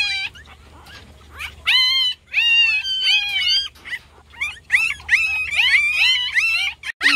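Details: Newborn puppies, on their first day, whine and cry loudly in high-pitched, bent, overlapping wails after falling from their spot, on a very hot summer day.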